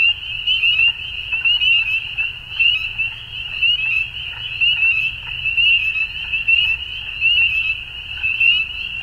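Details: At dusk, numerous frogs keep up a constant high-pitched pulsing trill, about one louder surge per second rising and falling through the chorus, with faint scattered chirps and a low steady background rumble.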